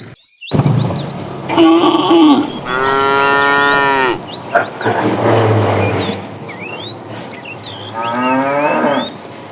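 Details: Tame cows in a herd heading out to fresh pasture, mooing repeatedly: a short low moo, then a longer rich bellow and a hoarser one, a brief moo near the end, while birds twitter throughout.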